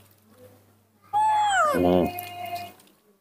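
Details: Spoiled baby monkey having its daily morning tantrum while drinking milk, giving one long loud falling wail that breaks into a rough, pulsing cry, then a thinner sustained tone.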